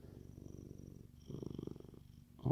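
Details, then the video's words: Contented male Siamese cat purring indoors, a steady low rumbling vibration that swells louder and rougher after the first second, then fades before a brief sharp rustle at the end. "Siamese cat purring like a machine!"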